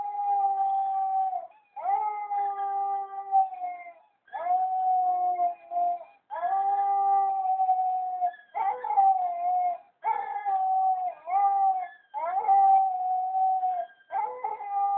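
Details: Male White German Shepherd howling along to a played clip: sustained, steady tonal howls, each lasting one to four seconds, separated by short breaths, with a slight waver and fall at the ends.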